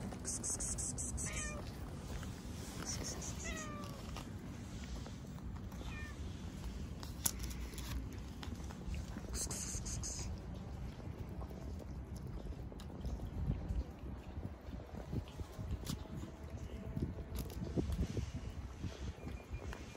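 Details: Cat sniffing the rear ends of other cats, among stray cats being fed; several short, falling, harmonic meows in the first three seconds, then a steady low rumble of background noise.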